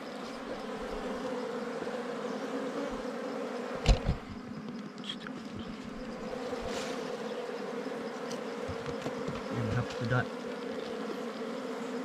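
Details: Continuous droning hum of many wild bees at a nest during honey hunting, level and unbroken, cut by a sharp knock around four seconds and a few soft taps and rustles later.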